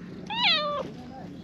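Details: A grey-and-white stray cat in a park, walking in circles around a person's feet seeking affection, gives one short rising-then-falling meow with a steady low hum underneath.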